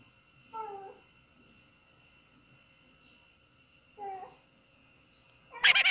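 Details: Domestic cats at home hearing cats meowing on TV: two short harmonic meows about three and a half seconds apart, over a steady electronic hum, ending in a sudden loud burst of noise.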